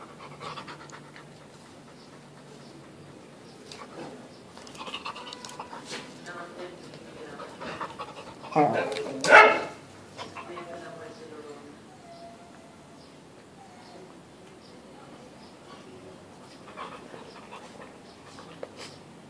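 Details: Two dogs playing together, a three-year-old Old English Sheepdog and a Retriever puppy: soft panting and scattered short growly, whining vocal bursts, with a louder scuffling outburst near the middle before things quieten again.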